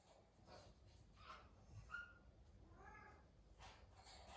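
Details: Naomi the cat, a pet living in a house alongside exotic animals, gives a short, slightly wavering meow midway, framed by faint soft noises and a steady low indoor hum.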